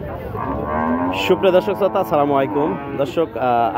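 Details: Meat cows at Chhatra cattle market, Naogaon district, on 13 November 2023; one long, low moo that slides downward, followed by music.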